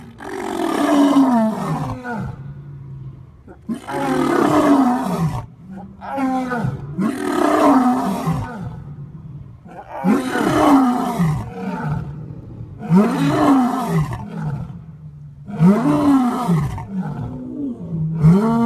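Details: Male lion roaring at full power: long series of loud, rising-then-falling moaning grunts every two to three seconds, rich and throaty, carrying strong overtones.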